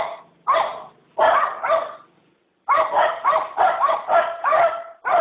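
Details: Dog barking in short volleys of rough, rising barks: two or three barks, a pause, then a fast run of five or six.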